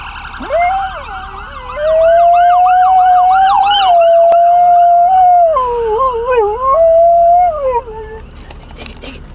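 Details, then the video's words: A dog howling in a car at a passing ambulance or fire truck gives a long, sustained wolf-like howl that wavers and drops in pitch, over a sweeping wailing siren. "Wolfhowl - Dog howling in the Car at Ambulance/Firetruck"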